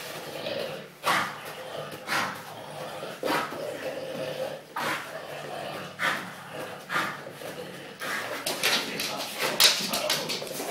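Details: English bulldog giving short, harsh, noisy bursts about once a second, some snort-like and some bark-like, coming faster and busier toward the end, with voices nearby.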